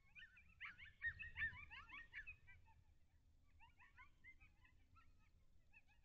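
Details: Distant coyotes yelp in a rapid, overlapping chorus of short, high, quavering yips, early morning on 18 August 2021, caught by a wildlife cam near Lake Alan Henry, Texas.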